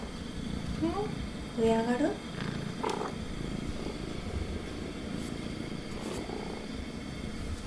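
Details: Female prick-eared Scottish Fold cat, red tabby and white, indoors at home while furniture is rearranged; a low continuous purring rumble fills the room, with brief human speech early on.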